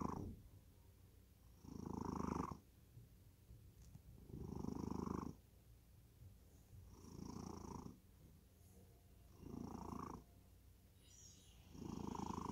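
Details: Deeply sleeping cat snores steadily, five rough low breaths spaced about two and a half seconds apart, each a buzzy rumble lasting near a second, separated by near-silent pauses in a quiet room.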